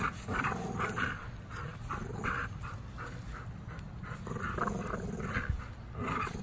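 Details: Gusto and Big Girl, a pair of tri-color American Bullies, tug-of-war in play on an afternoon. Their low, gravelly growling rolls on steadily in throaty surges over a deep rumbling background.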